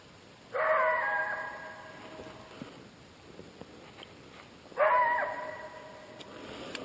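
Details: Cow elk, a mother calling for her calf before dawn after it screamed a death cry, while a coyote pack drives her off as they eat; two drawn-out, nasal, harmonic calls about four seconds apart, each wavering briefly before fading.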